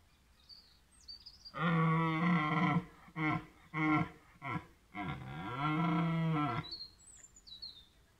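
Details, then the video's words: A red deer stag gives a deep, rough rutting roar in several long, throaty bursts, in a wildlife park at Willingen on 15 October 2018. "Röhrender Hirsch 3, Wild- und Freizeitpark Willingen, 15.10.18"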